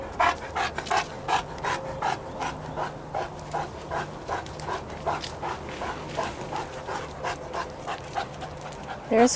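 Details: Lakeside dogs, Chester the St. Bernard, Izzy the German Shepherd, Cody the Golden Retriever and Clifford the Great Dane. Brisk, regular panting throughout, with a person speaking briefly at the very end.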